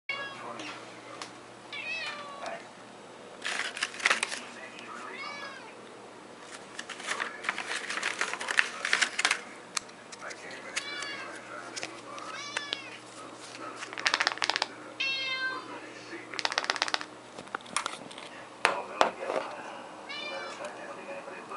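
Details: Male house cat indoors, being fed a fishy treat just after midnight on 3/12/2018, gives repeated short rising meows scattered through the clip, mixed with human talking and packaging rustles.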